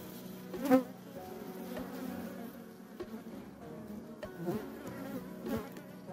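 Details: European hornets attacking honeybee colonies at an apiary where they are numerous; a low steady buzz hums beneath the dense drone of the hive, with sharp knocks and brief louder bursts.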